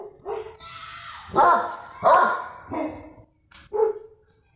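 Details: A Doberman on the street growls at street dogs, giving short harsh vocal bursts of growling barks about every second.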